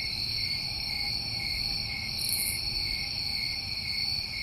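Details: A steady high-pitched trilling from many crickets in a New England summer, unbroken across the clip, with a quick sharp chirpy burst just past the middle.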